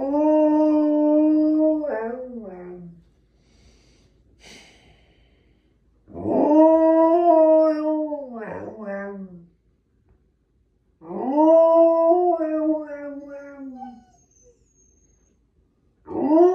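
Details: Husky dog howling indoors as a pet: three long, smooth, mournful howls, each about three seconds, holding a steady pitch then sliding down at the end, separated by pauses of a few seconds, with a faint soft whine between.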